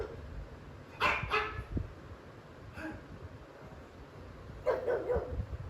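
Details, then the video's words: Indoor pug barking at dogs on a television screen out of jealousy and territorial defence; a quick double bark, a softer single bark, then a rough rasping burst near the end, with low household rumble. "Pug vs pug & other dogs"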